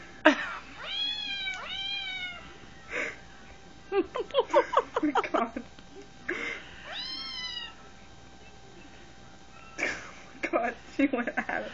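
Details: House cat chewing on a phone, trying to get the cat inside it out: pairs of falling meows mixed with bursts of sharp clicking and scratching, and one more meow midway.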